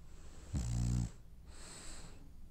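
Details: Sleeping French Bulldog, dreaming, gives one clear throaty snore lasting half a second, rough and buzzy with a low rattle, followed by a long hissing exhale through the nose; the room is otherwise quiet.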